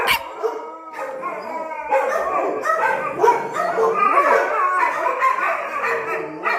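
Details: Dogs on high alert at a countryside retreat. A single sharp noise comes first, then a dense chorus of overlapping howls and whines follows, with wavering pitches sliding up and down and several voices calling at once.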